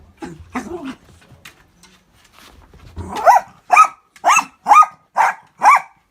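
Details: Miniature Dachshund barking while fighting an orange juice cup it sees for the first time; scattered soft yaps and sniffing noises, then a run of six sharp, evenly spaced barks about every half second.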